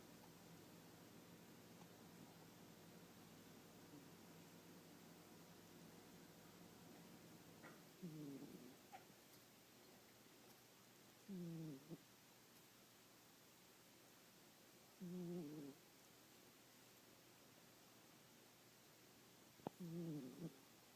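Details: Domestic cat napping and snoring: soft, low, rasping breath sounds in short bursts roughly every four seconds, separated by quiet stretches with faint steady background hum.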